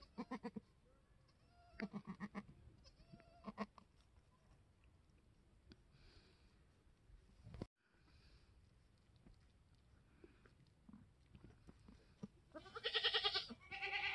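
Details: Newborn Mini Alpine goat kid, an F4 buckling born on a homestead on March 13, 2021, black with white-frosted ears and nose. Short pulsed calls early on, a quiet stretch, then one loud, harsh bleat near the end.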